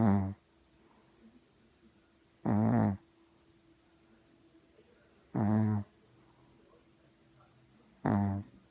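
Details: Regular snoring from a puppy: four brief, low, vibrating snores spaced roughly every three seconds, with near silence between breaths.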